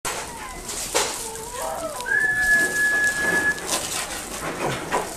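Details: Shiba Inu puppy in a pet shop in Nagoya, Japan, giving one long, steady, high whine held for about a second and a half, with fainter shorter whimpers before it and a noisy, clattering indoor background.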